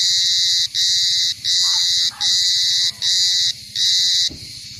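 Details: Loud cicada pulsing in harsh, buzzy bursts of about half a second, separated by short gaps, with a low steady hum underneath and a brief fade at the end.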